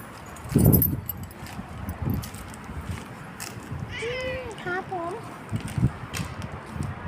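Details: Bobtailed pet cat named Pumpui being called over by its owner, answering with a short run of meows: one smooth arched mew, then several quick bent, wavering mews, with a man's voice speaking before and after.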